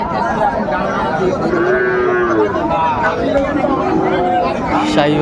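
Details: Sahiwal cattle at a livestock market in Comilla, Bangladesh, 26 December 2024, with bulls for sale; drawn-out tonal lowing with rising and falling contours over steady crowd chatter and men's voices bargaining.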